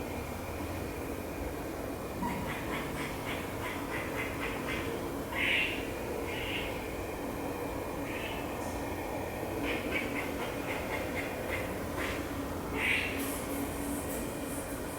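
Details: A baby squirrel eating an almond in a tree gives short, sharp kuk notes in quick runs over a steady rushing background, seemingly upset with a red-bellied woodpecker near the bird feeders.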